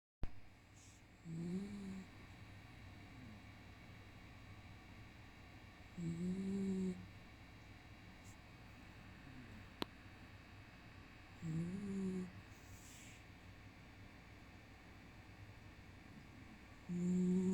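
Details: Gon, a black pet dog, snoring while asleep indoors: low, rough snores with a faint whistly edge, each lasting about a second and coming roughly every five to six seconds, with near silence between them in a quiet room.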